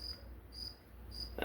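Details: A cricket chirps steadily and without stopping, each high, thin trill repeating about twice a second, apparently in southern Mississippi.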